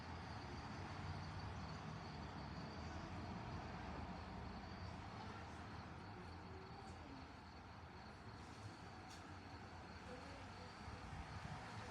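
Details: Continuous low engine and traffic rumble with a faint steady high whine, and no animal voice.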